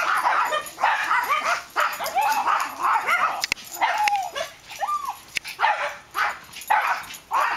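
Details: Dogs at play in a backyard on 22 August 2010, Max, a black dog, having drawn Ewok into the game: a quick string of high, arching yips and short barks, nearly continuous, about a dozen across seven seconds, with sharp clicks between.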